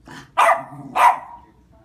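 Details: Perky, a female West Highland White Terrier, gives two sharp, loud barks about half a second apart, each a broad burst with most energy in the mid range, then quiet.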